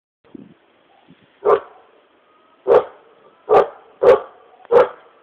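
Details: Dogs in Bulgaria barking: after a few faint sounds, five sharp, loud barks come at irregular intervals, each a short burst with energy centred in the mid range, the last four grouped closely together.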